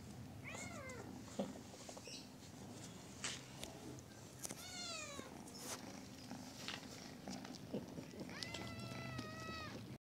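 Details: A kitten meows repeatedly: a short call early, a quick downward meow midway, and a longer, steady, higher meow near the end. Scattered clicks and taps are heard over a low hum.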